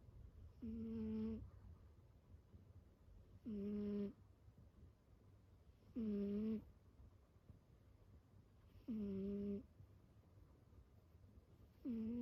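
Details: Sleeping domestic cat named Kiiyan giving a heavy snore, five even, buzzy, tonal breaths of about a second each, arriving at a steady three-second rhythm, with quiet low background rumble between them.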